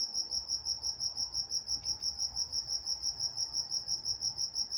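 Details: Night-time crickets in Walnut, California, giving a shrill, evenly pulsed chirping of roughly three beats a second over quiet low background hum.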